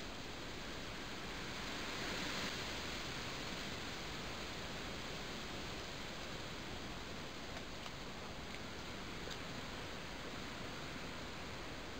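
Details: Steady broadband rushing like a waterfall or stream fills the recording, with a few faint clicks and rustles and no animal calls.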